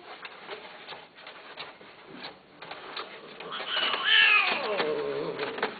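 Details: Domestic cat offered for sale gives one drawn-out meow that rises and then falls, about a second long, near the end, after several seconds of quiet room noise with faint clicks.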